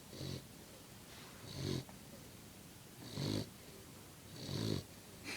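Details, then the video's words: A sleeping puppy snores in deep, rough rasps, four long breaths each lasting about half a second, spaced roughly every one and a half seconds, with breathy hiss in between. "Puppy Snoring"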